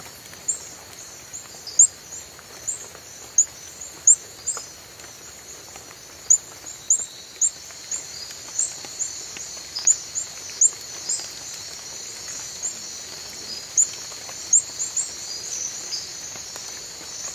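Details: A reticulated glass frog (Hyalinobatrachium valerioi) calls with short, very high-pitched chirps at irregular intervals over a steady insect hum.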